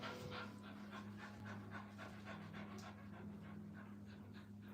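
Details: Puppies with their mother at a kennel, heard panting in quick breathy bursts, close to four per second, over a steady low electrical hum.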